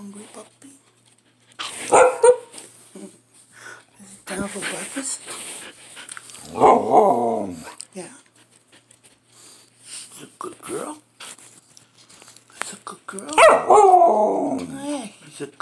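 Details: Hungry young female Samoyed asking for breakfast, starting quietly and growing louder: three wavering howls spaced several seconds apart, the last the loudest, mixed with a woman's talk and household noises.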